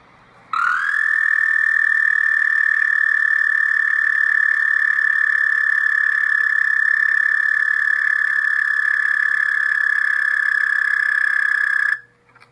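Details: A single male American toad gives a long, steady, high musical trill, calling for a mate.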